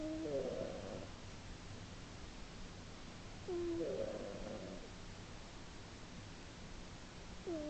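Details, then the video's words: Sleeping female house cat snoring loudly in March 2010, breaths coming about every three and a half seconds, each a squeaky rising whistle sliding into a rough, rattling snore, over a quiet indoor hum. "My snoring cat"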